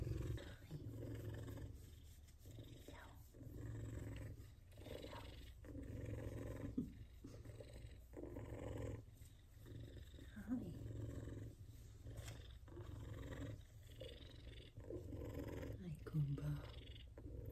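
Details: Two F2 Savannah cats purr while being petted and giving affection, a deep, steady rumble that pulses with each breath.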